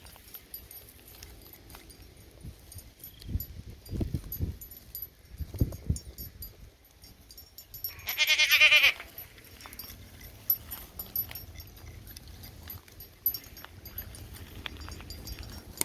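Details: Single loud, quavering bleat from a playful goat kid during a wild afternoon romp, about one second long, surrounded by soft thuds, rustling and low background rumble.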